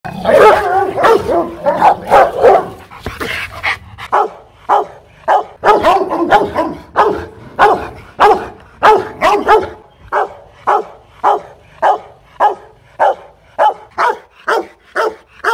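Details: Aggressive Rottweiler barking at a kennel in Hoang Mai, Hanoi, Vietnam: deep, rough barks tumble over each other for the first ten seconds, then settle into single loud barks roughly every half second.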